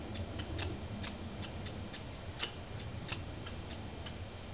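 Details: Squirrels in a fight, Banff, Canada. Dry, staccato clicking chips come in an irregular rapid series, some louder than others, above low background rumble.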